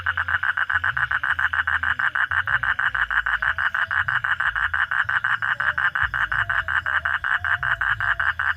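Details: Frog calling at night, an unbroken series of rapid, evenly spaced croaking pulses, several each second, keeping the same pitch and loudness throughout, with faint low rumbling underneath.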